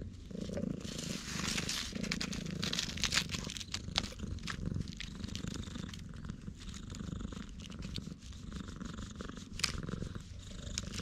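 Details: Stray all-black cat on Tashirojima island, Japan, petted in a road, purring loudly on a GoPro HERO8; low rumbling purr beneath frequent crackling and rustling from hands on fur.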